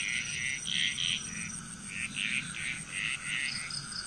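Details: Chorus of frogs in Bali, Indonesia, a quick run of short, bright croaking notes, many per second and unevenly spaced, backed by a persistent high ringing drone.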